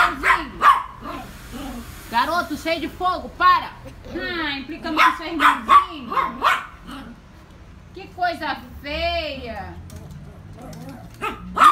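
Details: Scared miniature Yorkshire Terrier indoors whimpering in bending, arching whines mixed with short yips. A woman keeps talking to the dog between and over the cries.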